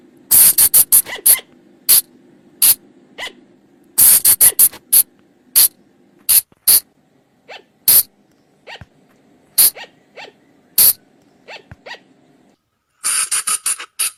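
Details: Flying lemur calls for attracting the animals after dark: dense early cluster of harsh clicks and rasps, then scattered single bursts, ending in a hissy run of rapid pulses, over a low steady hum.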